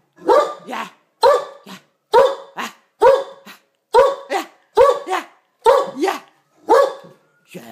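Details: A male Great Dane gives deep, booming barks, each a double woof, repeated about once a second, while playfully attacking a box after being told to get the mouse.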